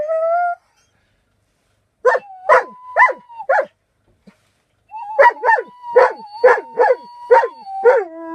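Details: Alaskan Malamute singing in bursts of sharp, yodelling yips, about two per second, separated by a pause, over a steady sustained tone.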